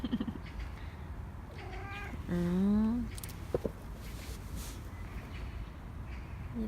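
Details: Korean shorthair cat named Nacho begging indoors for more treats after already getting a churu; two clear, drawn-out meows in the middle, the second louder with a rising, wavering tone, over a low household rumble and a few soft clicks.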